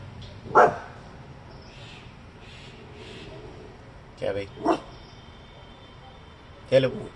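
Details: A Coton de Tulear gives sharp, short barks in scattered bursts at passers-by, warning them off and ignoring its owner's commands.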